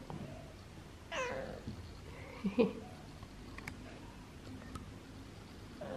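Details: Siamese cat at home, questioned by its owner about its day and food, utters a clear descending meow after one second, then a short chirpy rising call, with quiet room noise and taps.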